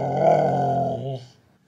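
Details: Siberian Husky talking back to its owner indoors: one drawn-out, grumbling yet tonal moan lasting about a second, held steady then sliding down and fading.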